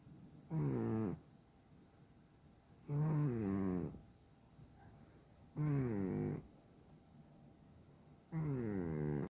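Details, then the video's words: Dalae, a chubby pet cat, snores so loudly that its owner cannot sleep: four rough, buzzy snoring breaths, each about half a second long, repeated steadily every two and a half seconds in a quiet indoor setting. "a snoring cat"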